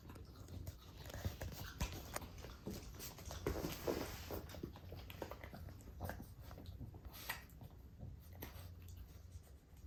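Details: Female Boston Terrier living indoors in the Kansai region of Japan whines to be let out before outings and early in the morning; soft, faint whimpers come amid scattered clicks and pattering movement in a small room.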